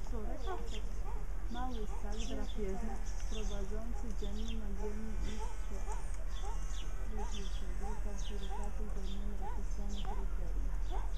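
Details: Meerkats, Suricata suricatta, trading a run of short, regular harmonic peeps, each slightly arched, with softer chirps layered on top and a steady low rumble throughout.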